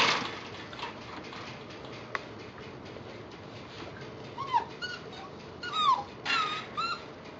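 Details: Eight-week-old Lab Husky mix rescue puppies, up for adoption, whimpering indoors: after quiet room noise, thin high whines slide downward around the fourth second, then a cluster of brief falling and wavering whimpers near the end.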